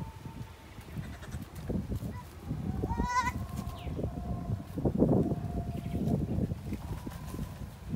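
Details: Goats mating, a single short quavering bleat near the middle, surrounded by heavy low rumbling, thumps and handling noise, with a faint sustained tone.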